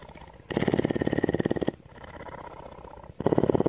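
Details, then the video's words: Purring mountain lion Tawney, a female cougar kept at CARE, Bridgeport, Texas: two loud, fast-pulsed rumbling bursts framing a softer, quieter pulsing stretch between them. "One hour of: Cougar purr!"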